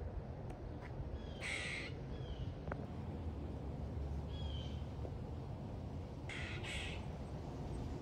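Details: A squirrel that seems stuck up high on a house, unable to get down, gives two harsh, raspy, duck-like barks several seconds apart over a steady low hum.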